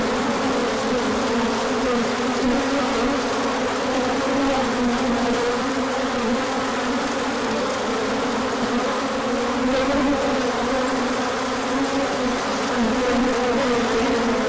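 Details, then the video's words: A swarm of bees in a big orientation flight on a sunny day following colder weather, pollen arriving; a thick, constant hum of many wingbeats with shifting, overlapping pitches and no pauses. "Large Orientation Flight."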